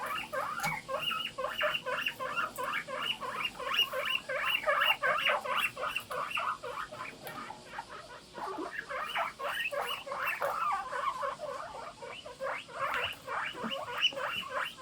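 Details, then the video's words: Several pet guinea pigs calling together in the morning, a continuous chorus of rapid squeaky chirps and whistled wheeks, about three per second, overlapping and uneven in rhythm. "モルモットの鳴き声 ぷいぷい大合唱"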